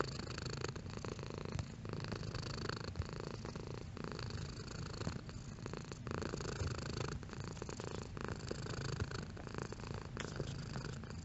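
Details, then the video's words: Long, even purr from a domestic cat, low and buzzing with rhythmic surges roughly every second or two as breathing alternates, quiet room with no other noises. "Cat Purring Sound Effect"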